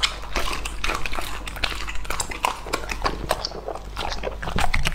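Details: Raw meat is eaten by Lucky, a male English Labrador aged two and a half. Rapid biting and chomping come as sharp repeated clicks over steady low-pitched mouth noise, close up in a small room.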